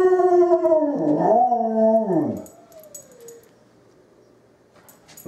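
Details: Pet dog answering wolves with a rich, harmonic howl that wavers up and down, then slides low and fades out. Quiet follows, and a brief loud sound ends the clip.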